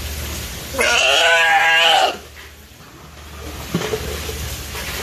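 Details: California sea lion pup, nearly one year old, at the Ise Sea Paradise aquarium in Japan. It chases staff around the feeding preparation area, seeking attention. It gives one bleating, wavering, harmonic call of about a second, followed by quiet room noise.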